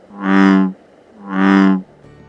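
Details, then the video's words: Two deep, resonant bellows from an American bullfrog in Georgia, each lasting about 0.7 seconds with a rich low hum, calling after dark; the big aquatic frog is easier heard than seen. "So listen for its loud, low-pitched bellowing call. Some people say it sounds like jogarum."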